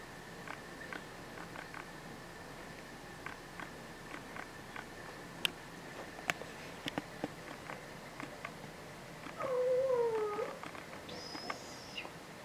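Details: Two domestic cats sharing a cat tree indoors, August 2019; mostly quiet with faint clicks and rustles, then near the end a short wavering meow that falls slightly, followed by a brief higher squeak.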